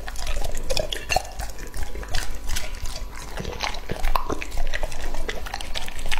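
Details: A male English-type Labrador named Lucky, two and a half years old, chewing raw meat such as beef, chicken breast and rabbit ribs. Wet, squelching bites and licks go on steadily, with a few sharper clicks.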